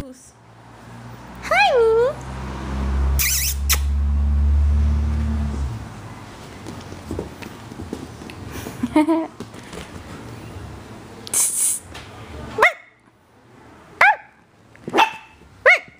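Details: Marcus, a hyper, playful Chihuahua puppy three and a half months old, plays indoors at home. He gives a pair of high arched whining yips, then sharp short yelps near the end, over a person's cooing talk and a low rumble.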